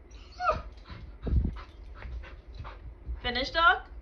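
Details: Siberian husky that wants to play, being asked by a woman what happened. Her talking comes first, then the husky answers with a rising and falling, howl-like whining yodel near the end.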